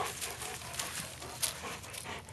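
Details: Blue, a two-year-old Weimaraner, pants after searching for and retrieving his favorite retrieve bone. Quick, breathy, hissing bursts repeat about three to four times a second at a steady rhythm, with faint outdoor background.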